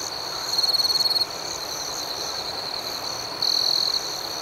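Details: Crickets at night in a calm outdoor setting: a steady high, shrill trill runs throughout, and two louder pulsed bursts of rapid chirps stand out, the first near the start and the second in the last second.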